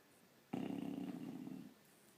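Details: Snoring Bulldog lying asleep upside down gives one loud, rattling low snore lasting just over a second, in a quiet indoor room.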